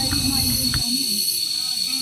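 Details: Crickets, the 'forest whisperers', in the rainforest at Bulusan Lake, Philippines; a steady, unbroken high-pitched ringing drone with a fainter hiss above it, and people talking during the first second.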